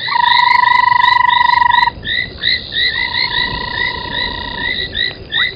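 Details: Frogs at an old pan-making foam nest by Gowrie dam waterhole, Djuma Game Reserve, Sabi Sand, South Africa, at 03:40 on 25 January 2021. A loud steady whistled tone, then many short upswept chirps overlapping in a busy chorus.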